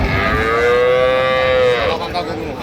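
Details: Improved-breed dairy cattle, cows with calves, at Ambari cattle market in Dinajpur, Bangladesh, on 15 September: one long, steady, loud moo of nearly two seconds, holding an even pitch before fading, over a noisy crowded market background.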